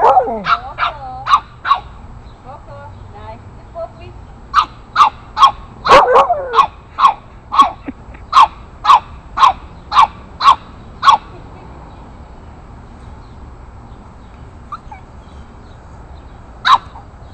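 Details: An 8-week-old Boston Terrier puppy confronting bigger dogs in the neighborhood. A few whiny yelps come first, then a run of sharp, high barks at a steady quick pace, roughly two to three per second, and finally a single late bark.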